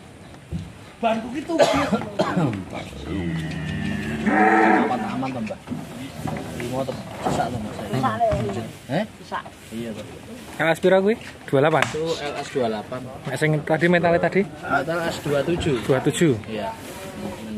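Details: Agitated cattle, one of three huge animals being delivered whose rope came loose, raging and nearly escaping. A loud, drawn-out moo sounds early on, while men talk and shout almost constantly amid clatter.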